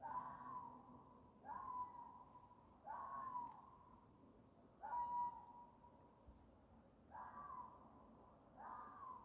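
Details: A fox gives a series of hoarse, drawn-out yelping calls, described as a mating call, repeated about every one and a half seconds.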